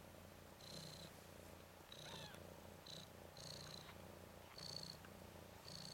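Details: Ten-day-old red/cream colourpoint Ragdoll male kitten, one of three brothers in a litter, romping on its back indoors; thin, high squeaky mews in short bursts, about five spread over six seconds, over a low steady hum.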